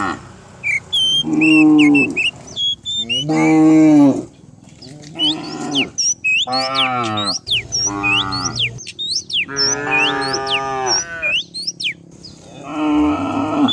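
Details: Herd of dozens of cows driven down a hillside on a morning in rural countryside, several loud drawn-out moos in quick succession, some bending downward, mixed with frequent high bird chirps.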